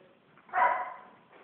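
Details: Three-month-old female Belgian Malinois during obedience practice gives one sharp, clear bark lasting under half a second, between a handler's calls of sit and down, with quiet room noise around it.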